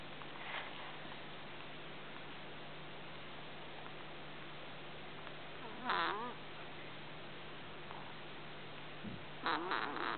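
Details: Brian, a sleeping ginger kitten, snoring: faint squeaky, wavering nasal breaths rise near six seconds and again around nine and a half seconds over a steady low hum in a quiet room.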